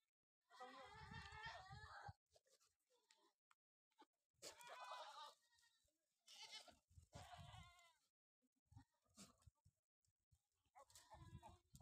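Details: Sojat bucks raised for the coming Eid on a farm in Indave, Dhule district; loud, shaky bleats of one to two seconds repeat several times with short gaps, and a man's voice is heard briefly.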